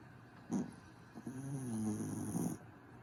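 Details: Sleeping dog Grif gives a short snort, then a long, droning, wavering snore that rises and falls before stopping abruptly; a thin high-pitched hiss runs underneath.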